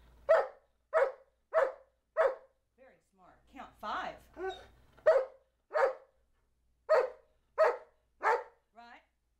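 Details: Charlie B., a 2-year-old Old English Sheepdog, counts on command with short, sharp barks: four quick barks, a pause filled by a person's counting voice, then about five more spaced roughly half a second apart.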